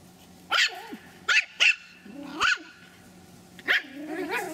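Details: Pomeranian puppies aged three months, Kyiv, Ukraine: shrill, clipped barks spaced irregularly, some doubled, with a drawn-out whimpering whine rising at the end. Indoors, little background noise.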